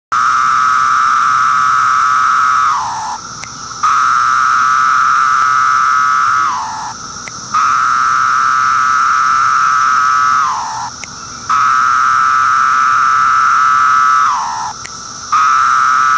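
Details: Periodical cicada (Magicicada septendecim), Brood II, 2013, calling from tree bark: long, steady buzzing phrases that each end in a falling slur.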